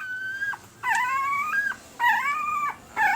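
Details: Newborn male Pembroke Welsh Corgi puppies, red/sable, one week old, April 2020, let out drawn-out nasal whines, each held nearly a second before dropping off, three in a row with brief pauses.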